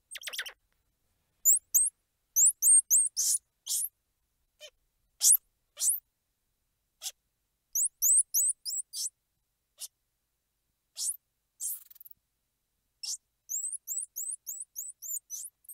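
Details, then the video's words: Squirrel monkey squeals and chirps: bursts of rapid, very high, upward-flicking chirps in runs of four to six, alternating with brief harsh squeals and scattered faint ticks, on a silent background. "Squirrel Monkey Sound | Squirrel Monkey Squeals | Squirrel Monkey Noises | Squirrel Monkey Chirps"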